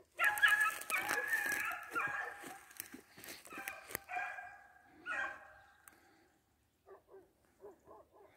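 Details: Beagle baying while trailing a hare: blurred, noisy baying at first, then a lone clear bay, followed by several faint, short, distant yips after a lull.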